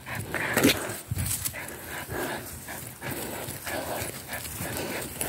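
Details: A 3-month-old Labrador Retriever puppy arriving home, carrying something; short sharp bark-like bursts with a whimpering tone over a noisy indoor background, rustling and movement sounds throughout.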